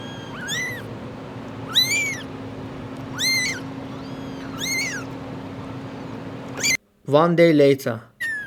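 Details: Abandoned kitten rescued after two days freezing in -11°C snow, giving four arched meows roughly every second and a half over a steady low hum, with a brief burst of voices at the end.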